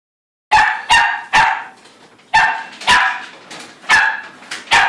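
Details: Young female Shetland Sheepdog, AKC registered and nearly five months old, barking at feeding time, a habit she began a few days earlier. Sharp, bright barks come in quick pairs and triples, about seven in all, over a quiet room.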